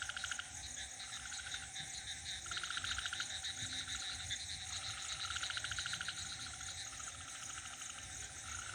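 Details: On a village night, frogs call in a dense chorus of rapid, rattling pulses, with crickets trilling alongside.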